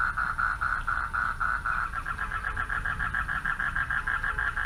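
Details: Nighttime frog chorus from a pond, males calling for mates; short buzzy croaks come in quick bursts, shifting to a rippling pulsed trill midway, over low rumbling noise.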